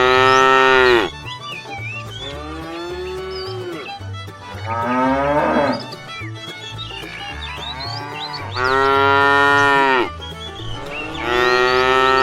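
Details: Tame cattle herd setting off on a long journey toward fresh pasture, several loud drawn-out moos, some rising then falling, separated by quieter gaps; steady low pulsing tones and scattered high chirps continue underneath.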